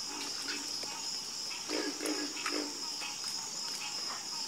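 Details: Frogs croaking together at night, giving a few quick low croaks, then a louder run of three or four closely spaced knocks, set against a steady high-pitched hum.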